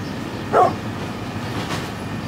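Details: A single brief, loud bark from a 9.5-year-old brindle pit bull, with a low rumbling hum underneath.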